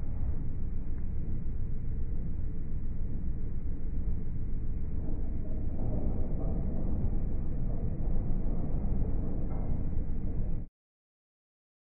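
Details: A steady, heavy low rumble like wind buffeting or engine noise fills the recording before it cuts off abruptly, with no animal call heard.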